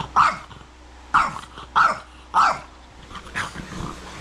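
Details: Angry French Bulldog throwing a fit on a bed, barking at its owner who is trying to lie down: four sharp, gruff barks about half a second apart, then softer grumbling barks, room hum underneath.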